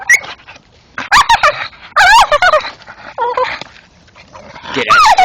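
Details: Old English Staffordshire bull terrier male gnawing a tree stump at night, giving wavering, strained whines that warble up and down in several bursts, mixed with chewing clicks and scraping.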